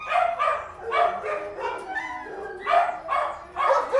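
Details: Dogs shut in a kennel, barking rhythmically with bright, harmonic barks in pulses about every half second, and a brief lull of lower whines in the middle.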